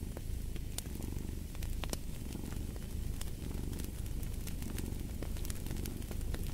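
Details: A cat purring steadily, a low rumbling throb that swells and fades in slow breathing cycles, with sharp pops and crackles from a fireplace burning in the background.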